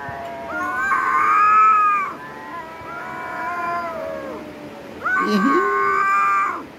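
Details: Fighting cats trade long wavering caterwauls, three drawn-out harmonic yowls separated by brief pauses, with a lower growling moan under the last one.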